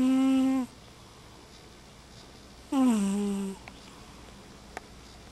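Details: Mama Kitty, a sleeping house cat indoors, snoring heavily: two loud droning snores with a buzzy harmonic tone that slides downward, separated by a quiet pause of about two seconds, and a faint click near the end.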